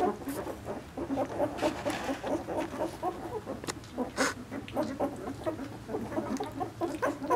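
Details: Newborn Vizsla litter, Piper's two-week-old pups born 20 February 2012, chirp and whimper continuously, a dense patter of brief high squeals rising and falling, with occasional louder cries and light rustling.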